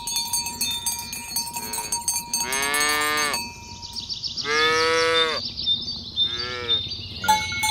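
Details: Morning cattle herding on a village road toward the pen, a herd of fat tame cows: three moos, the first two long and full, the last shorter, set against bright, persistent cowbell ringing.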